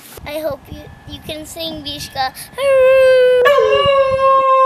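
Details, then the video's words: Indoors, a person speaks briefly, then Mishka the dog answers while asking for treats, recorded on an iPhone: a loud sustained howl that jumps abruptly higher midway and holds that pitch to the end. "Mishka Asks for Treats"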